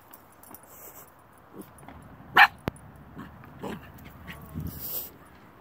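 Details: A Pembroke Welsh Corgi at a dog park, tail wagging and jealous of big dogs in the large-dog section, gives a single short, sharp bark over a low murmur of outdoor noise.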